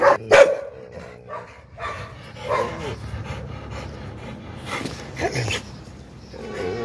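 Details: An American Pit Bull Terrier barking angrily, with loud, harsh barks in irregular bursts, a sharp pair at the start and others spread through, over a low background rumble and some voices.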